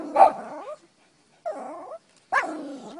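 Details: Shih Tzu Lina-Valentina of VICTORY Shih Tzu, eager for barbecued beef, lets out three loud whiny yelps, the first and last sharp and high at onset, a softer sliding whine between, separated by silences.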